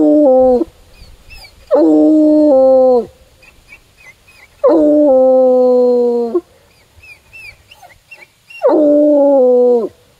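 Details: A male Bluetick Coonhound, tracking a scent on a walk all the way to a tree in the woods, bays with long, full-throated, slightly falling cries about every three seconds.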